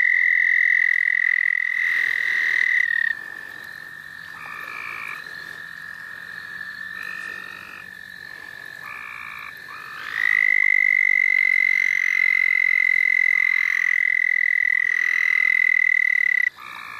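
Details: Chorus of frogs at the St. Olaf College Natural Lands, recorded while people catch frogs: sustained buzzy trills overlap, drop to a softer stretch in the middle, then return loud and continuous near the end.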